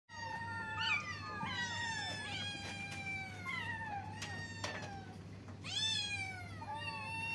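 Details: Several kittens meowing at once, overlapping high harmonic meows, some rising then falling, some long and drawn out, crowding over each other throughout, with a steady low hum underneath.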